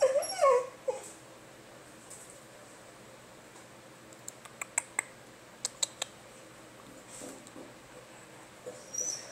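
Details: Pet basenji making its unusual attention-seeking noise when it wants to play or go outside to pee: a brief, whining, yodel-like tone that rises and wavers, followed by quiet room sounds and a few sharp clicks.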